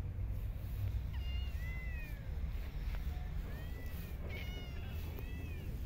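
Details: Stray cats being fed in parks and streets; several short meows with arched, falling pitch arrive near the start and again toward the end, faint over a steady low rumble of traffic.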